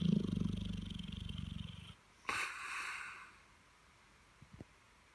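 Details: Holly, a Dogue de Bordeaux, asleep after a busy bank holiday weekend and morning. She snores in a low, rapid, pulsing rumble for about two seconds, then lets out a breathy, hissing exhale, and a few soft clicks follow.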